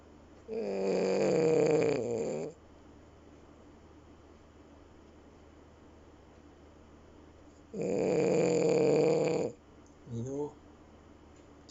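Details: A male French Bulldog snores with his eyes open, giving two long, rattling, buzzy breaths several seconds apart.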